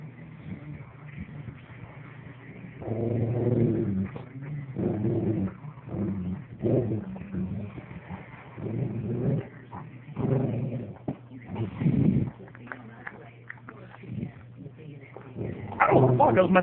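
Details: Rottweiler defending its toy from its owner, recorded on a phone; deep, harsh barks and growly bursts come roughly every second, mixed with a man's voice.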